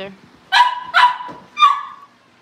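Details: Cavalier King Charles Spaniel puppies at a family home livestream while getting ready for pick-ups; three sharp yapping barks about half a second apart, with a brief voice at the start.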